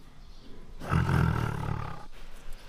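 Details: Bengal tiger in an attack scene giving one deep, rough roar lasting just over a second, loudest at its start and fading into low rumbling.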